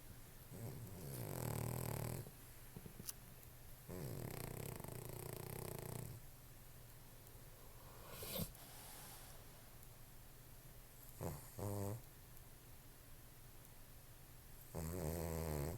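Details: Sleeping dog snoring loudly in long rasping breaths lasting one to two seconds, several spread across the recording with quieter gaps between them.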